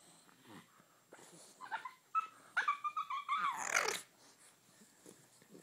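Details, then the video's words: Bulldog puppy playing with a Puggle indoors, giving a burst of high whiny squeals and yelps with rising, wavering tones in the middle, surrounded by softer snuffles and grunts. "Funny bulldog sounds"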